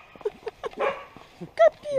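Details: A mongrel dog in a bad mood one morning, biting an American Staffordshire Terrier: short snappy yelps, a brief rough growling burst, then a sharp high whine and a drawn-out whimper at the end.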